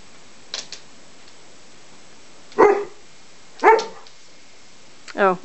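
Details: A dog during play between a Greater Swiss Mountain Dog puppy and another dog: three sharp barks, the last ending in a brief whining yelp, spaced about a second apart, with faint clicks and a person's voice nearby.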